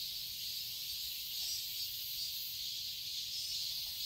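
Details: A steady, shimmering cicada drone in a Seoul, Korea garden in summer, high-pitched and unbroken, with an even hiss and no other distinct voices.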